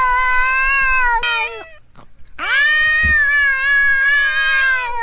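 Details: Cat meowing to attract other cats: two drawn-out meows separated by a brief gap, the second rising and then holding a long, even, slightly wavering tone before tailing off.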